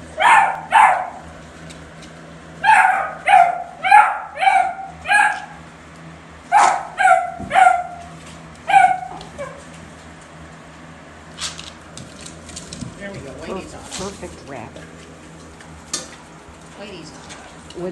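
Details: Basset Hound puppies in a barn on their first exposure to a rabbit: a burst of high yipping barks, several in quick succession around one to two seconds apart, then quieter scattered sounds and faint rustling.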